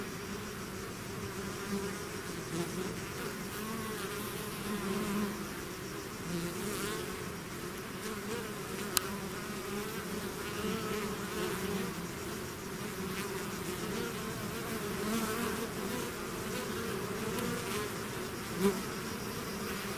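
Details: A swarm of bees out of its hive, a long steady drone with wavering pitches that rise and fall slightly, a sharp click near nine seconds and a close fly-by near the end.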